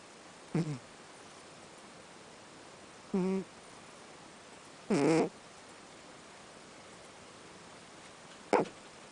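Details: Miiko, a pet cat adopted from the Ibaraki animal welfare centre through NPO ALMA, snoring loudly through her nose indoors: four short, rough, harmonic snorts roughly every two to three seconds over a quiet room hiss.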